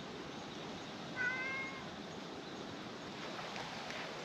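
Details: A stray domestic cat in a park, where a milk-tea coloured cat plays happily and a black-masked cat arrives, gives a single short meow that rises slightly then levels off, over steady outdoor background noise.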